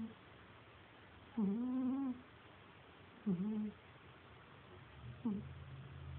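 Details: A sleeping cat called Cagney snores in soft, tonal, hum-like squeaks that dip and rise, three in a row roughly every two seconds, the last one short and faint, over a steady low hum.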